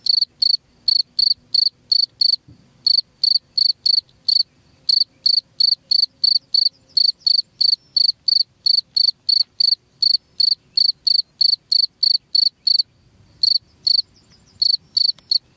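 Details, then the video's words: Cricket chirping used to repel rats from a home: steady run of short, high, pulsed chirps, about three per second, with brief gaps around two and thirteen seconds, over quiet low background noise. "SUARA JANGKRIK PENGUSIR TIKUS"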